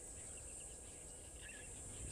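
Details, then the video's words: Cicada ticking off as the day gets warmer, in nyala country where a bull rubs his horns in the mud. A steady, high-pitched buzzing drone runs unbroken throughout, over a low rumbling background. "to hear that, as well as the cicada that is kind of ticking off as the day gets warmer here. I do just want to just have a look at this bull, because quite"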